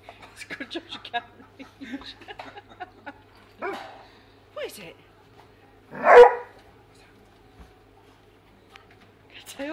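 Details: Weimaraner trying to reach fish in a tank indoors: soft whines and snuffling sounds mixed with a woman's talk, then one loud sharp bark near the middle, a few quieter whimpers after.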